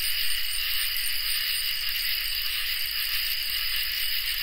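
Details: Crickets and katydids in a summer night chorus: a steady, unbroken high trill layered with a second, even higher shrill band and faint pulsing above, a continuous insect wall of sound with no other voices.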